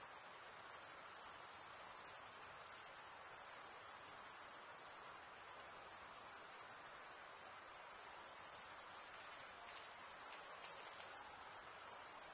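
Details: Crickets, mostly males, stridulating with their wings: an even, unbroken high shrill trill, densely pulsed and steady across the whole stretch, against otherwise quiet background.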